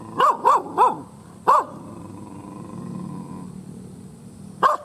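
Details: Angry, fierce village dog barking loudly: a quick burst of three sharp barks, a pause, one more bark, then a long gap before a final bark, with a faint steady hum beneath.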